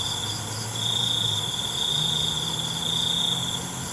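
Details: Crickets at night: one long, steady, high-pitched trill starts just under a second in and holds for nearly three seconds. It sits over a constant shrill insect chorus, with a faint low hum underneath.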